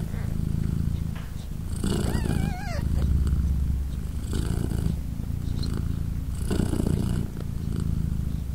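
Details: Polina, a British Shorthair mother cat, purrs while three newborn kittens, three days old, nurse beside her. Steady low throbbing purr with rhythmic breath surges, and one wavering thin kitten mew midway.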